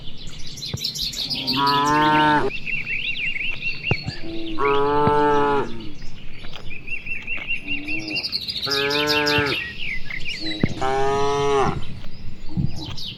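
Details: Herd of cattle grazing in broad rice paddies under an afternoon sky, answering one another with four rich moos spaced roughly every three seconds, while birds chirp constantly in the distance.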